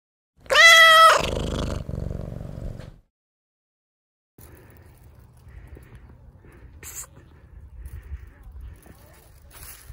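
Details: Stray tabby cat playing with plastic bags gives one loud, clear, slightly wavering meow lasting under a second, followed by a lower trailing sound, then quiet rustling and faint clicks.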